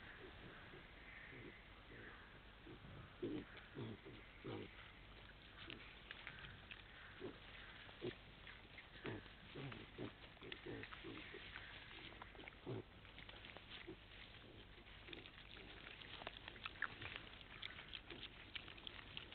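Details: Wild boar piglets at night; soft, irregular short grunts and squeaky snuffles come in quick scattered bursts throughout, fairly faint, over a steady low background hum.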